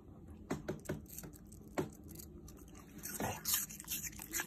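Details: Yuzu, a pet Shiba Inu, crunches through apple pieces indoors, giving a run of sharp, dry crackling bites and clicks spread over a few seconds, with a brief lull before a busier burst of crisp crunching.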